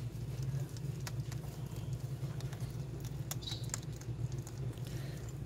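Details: Three- to four-week-old hedgehogs at feeding time, young ones beginning on powdered food and struggling to crack hard pellets; soft, irregular crunching ticks and pattering over a steady low hum.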